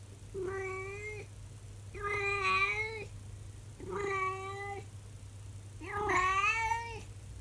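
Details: Elderly calico cat, 24 years old, during her daily 6 a.m. howl: four prolonged, harmonic-rich yowls spaced about two seconds apart, the last one rising and wavering, over a constant low electrical hum in a quiet room.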